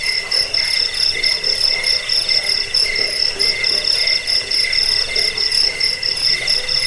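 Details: Several crickets chirp together in a recording meant to repel rats, lull listeners to sleep and train songbirds. Dense, high, pulsed chirping sits in steady layers at two or three pitches and runs continuously with a slightly uneven beat.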